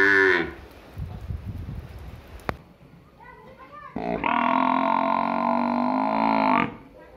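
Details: Village buffalo: a moo cut off at the start, then a few seconds of soft murmuring background with a sharp tap, followed by a steady, harmonic moo of about two and a half seconds.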